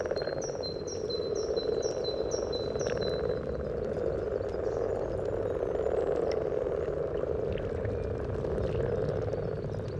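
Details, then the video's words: Common frogs calling at a spawning site by the yellow trail in Sunnersta, Uppsala, recorded just above the water with a Telinga parabola and Olympus LS14: a dense, continuous low purring chorus, with a bird's repeated high whistled notes in the first seconds. "Spelande vanlig groda"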